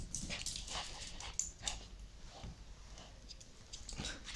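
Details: Cora, a Shih Tzu, playing happily with her favourite stuffed toy; soft, breathy, irregular huffs and snuffles come in short broadband bursts, several per second, over a quiet hiss of room noise.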